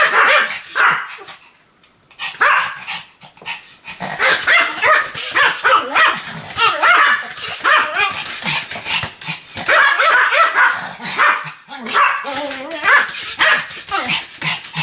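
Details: A Pomeranian called Sam in a long run of continuous barking: after a short silent gap near the start, a dense volley of piercing, rapid yaps follows, broken only by one brief pause.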